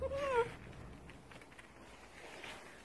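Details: A timid, quiet female Bichon Frise, born March 2019, gives one short, tuneful whine that rises slightly and then dips, like a talking yowl, as her owner asks where dad is and talks about a walk.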